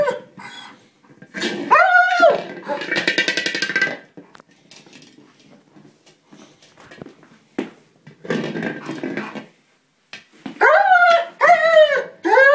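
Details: German Shepherd upset that he cannot puncture a small buoy he is attacking, indoors. High arching whines come in two bursts, one near the start and one at the end, with a stretch of quieter rustling and thumps between them.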